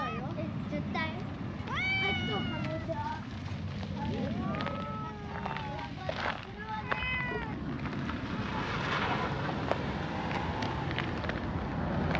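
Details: Brown tabby and tortoiseshell cats trade a standoff quarrel, uttering a series of short rising-then-falling meowing yowls in quick succession, several overlapping, with scuffling and clicking sounds amid a low outdoor rumble.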